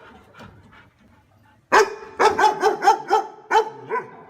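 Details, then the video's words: After a quiet, faintly noisy start, a dog bursts into rapid barking, about seven sharp barks in under three seconds. "Tiếng Chó Sủa"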